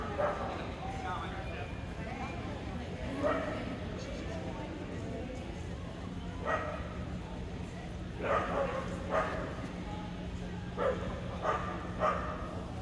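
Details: Barking during Löwchen AKC conformation breed judging at Perry, Georgia, on Monday, December 5, 2022, captured on an iPhone; short yapping barks come in scattered clusters, some in quick pairs, amid constant hall noise and people talking.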